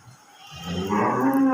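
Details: Cattle on a farm giving a short moo that swells from quiet to loud, with a steady low tone holding near the end.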